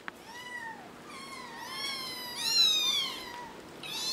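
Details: Four-week-old kittens mewing in a steady run of clear, high-pitched calls, each rising then falling, some overlapping as several kittens cry at once, loudest in the middle stretch; quiet room background.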